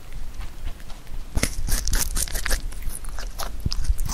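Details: Pet rabbit Huchu eating Korean melon indoors, its 33rd eating session: a quiet start, then sharp crisp bites and crunches from about 1.4 seconds, with irregular clicky chewing that continues to the end.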